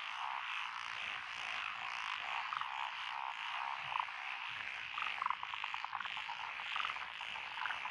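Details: Mixed frog chorus from lotus rice paddies beside a country road in Echizen, Fukui Prefecture, Japan, 12 June 2021, with Japanese tree frogs, black-spotted pond frogs, wrinkled frogs, Schlegel's green tree frogs and forest green tree frogs: dense overlapping croaks and rapid trills.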